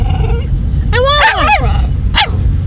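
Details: A dog in Sacramento, California, said to love McDonald's, gives a 'talking' vocalization: a wavering, howl-like whine that rises and falls for nearly a second, then a short higher yelp, over a steady low rumble.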